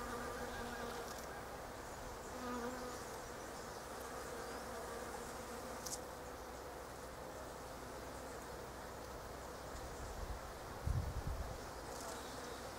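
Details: Bees among the pink blossoms of a Japanese quince, flitting from flower to flower; a constant low hum with varying pitch as insects pass, and a brief low thump near the end.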